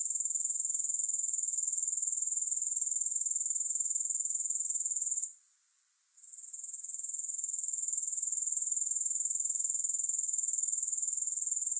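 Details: Grasshoppers chirring for sleep and relaxation, no music: a dense, high, hissing trill pulsing about four times per second, steady except for a brief dip near five seconds before it swells back.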